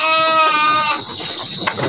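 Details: Garut sheep in an Indonesian pen, a big animal ready for Qurban 2024: one loud, bright, strained bleat of nearly a second, followed by shuffling and a constant thin high whine in the background.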